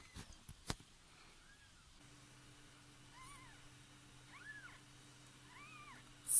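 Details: A cat giving birth indoors after slipping into a neighbour's house, then moved with her newborn kittens to a box lined with clothes. Soft arched mews that rise then fall, one faint and three clearer about a second apart, over a steady low hum.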